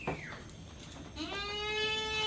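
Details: Goat under iron injection treatment on a farm: a brief falling squeal at the start, then a long, steady, strained bleat rising slightly in pitch and holding to the end, rich in harmonics, with a quiet background.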